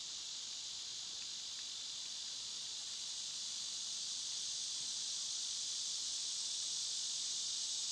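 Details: Summer cicadas in full chorus, a loud, steady, hissing buzz that never breaks and swells slightly toward the end, with faint scattered chirps beneath.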